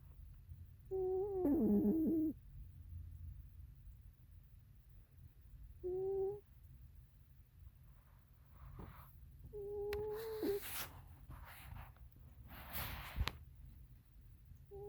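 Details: Oreo, a cat, snoring in sleep: scattered whistling breaths, one wavering and falling, others short and level, separated by quiet stretches with faint rustles and low background hum.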